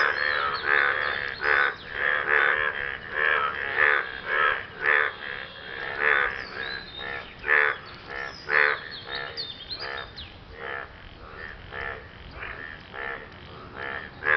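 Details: Frogs calling after rain to impress a partner: a dense run of harsh, nasal croaks, each a short buzzy burst, overlapping and repeated roughly once a second throughout, with several callers blending together.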